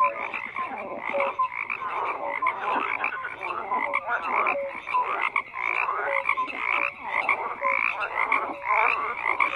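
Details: Dense frog chorus of overlapping croaks, raspy pulsed calls packed closely together with brief tonal notes scattered through, a continuous busy wall of calling.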